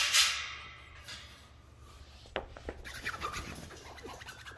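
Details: Scratching and rustling handling noises with a few clicks and knocks over a faint low hum; no animal call is heard.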